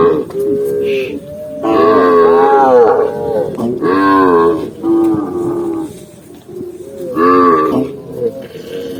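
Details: Tame cow crossing a green forest, uttering a run of wavering, arching moos, several overlapping loud lows with quieter stretches between them.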